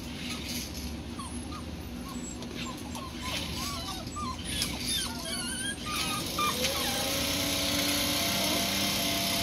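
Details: Rhodesian Ridgeback puppies in their whelping box, raised around household noises such as vacuum cleaners; a busy litter of short, high, squeaky whimpers and yips overlapping for the first six seconds, then a steady low hum with faint tones beneath.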